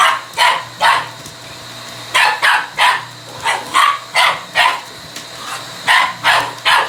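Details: Male Shiba Inu confronting a vacuum cleaner with a rapid, somewhat irregular volley of about fifteen sharp barks, coming two or three per second, over the machine's steady background whine.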